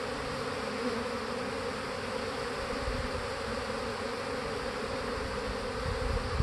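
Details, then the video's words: Dense buzzing of many honey bees flying around a hive, described as bees practicing swarming or making mass orientation flights; a steady, continuous hum with no breaks throughout. "bees practicing swarming"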